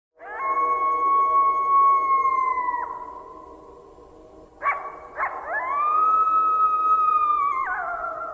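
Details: A pack of wild coyotes gives long, steady howls that break downward, with a few sharp yips between them.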